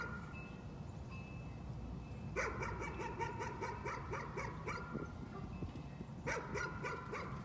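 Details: Dog, nuisance barking: a dense, fast string of high yaps lasting over two seconds, a short break, then another burst, with a faint steady whistling tone and low hum behind.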